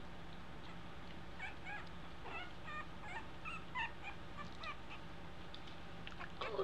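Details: Two-week-old American Eskimo Dog puppies learning to walk give a run of faint, high whimpering squeaks, short and repeated over a steady low hum.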